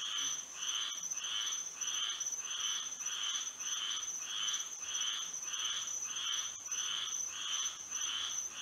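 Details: Chorus of frogs calling at night in Florida with moonlight: evenly paced raspy croaks, about a dozen bursts at a steady rhythm, layered over an unbroken piercing high-pitched drone.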